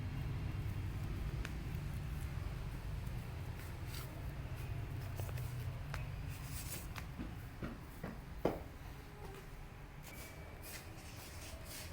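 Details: Quiet indoor rumble with scattered soft taps and clicks and one sharp knock; no animal voice is heard.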